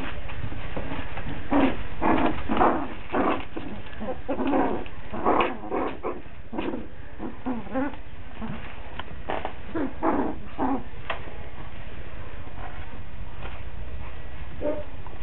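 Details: Five-week-old Coton de Tulear puppies in Orange, Connecticut, whining and yelping in many brief, high, uneven bursts that come nearly nonstop for about eleven seconds, then thin out. A constant low indoor hum sits underneath.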